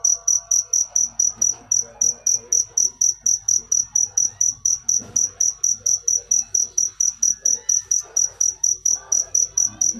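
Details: Persistent cricket song of short, shrill, high chirps repeated steadily about three to four times a second, faint muffled sounds beneath.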